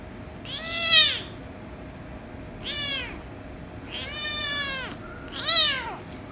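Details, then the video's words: Kittens, a ginger kitten with a rescue kitten, angry then kissing and licking each other; four loud arched meows over six seconds, each rising then falling, spaced about a second apart, steady low hum behind. "Ginger Kitten Made The Rescue Kitten Angry, But Kiss & Lick Kitten At The End - Cats Meowing"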